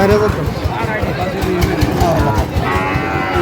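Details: Sahiwal bull calves at a livestock market in Chuadanga, Bangladesh, 9 June 2025; a short low moo opens the clip and another follows later, over steady crowd chatter and market noise.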